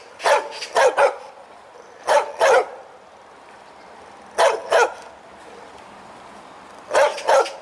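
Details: A dog with a strong, hearty voice barks as it wags its tail, giving quick double barks, each pair followed by a gap of one to two seconds.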